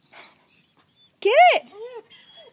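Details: Chaos, a pet wolf, crying on a hot day after his teddy bear was taken to coax him into a swimming pool; one loud arched whine, rising then falling, preceded and followed by faint softer whimpers.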